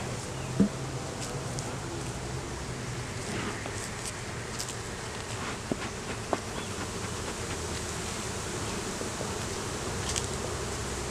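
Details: Many honey bees buzzing around a hive opened for inspection in the beeyard; an even, low, continuous drone with occasional clicks and knocks from handling the hive.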